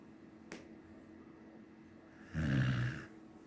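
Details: Samoyed snoring while asleep: a faint click early, then one short, low, rattling snore near the end amid quiet room hum.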